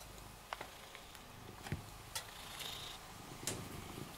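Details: Shelter cat Rysiek, in isolation at the Milanówek shelter, purrs contentedly under stroking. The deep, even, pulsing rumble continues unbroken, with brief taps and rustling of the hand on fur.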